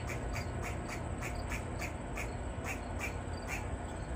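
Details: Grey squirrel barking and snapping its tail in a tree, a distress call given when a predator such as a dog, cat or person is nearby: short clipped barks repeated rapidly, about four a second, over steady low rumbling background noise.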